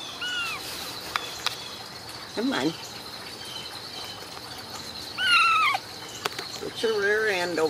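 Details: Ragdoll kittens raised at home, without cages, in a cattery in central Kansas, giving thin, high mews that bend downward, several across the stretch, while a woman coaxes them in a soft voice between the cries.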